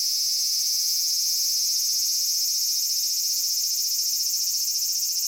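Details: Many cicadas singing together in Japanese summer at Kitakami's Michinoku Folk Village and Tenshochi: an intense, even, high-pitched whirring drone with quick throbbing pulses, no pauses.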